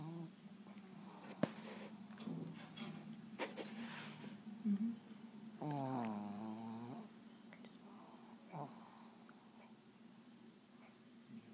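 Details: Windy, a 6 1/2 year old female Shih Tzu that does not bark, snores while sleeping on her back; a low steady drone with a long wavering, buzzy inhaled snore near the middle and faint room noise.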